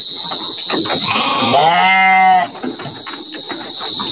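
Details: Garut sheep ready for the 2024 Qurban, penned in Indonesia: knocking and clattering, then a rising, drawn-out bleat of about a second, with a steady high-pitched whine behind it.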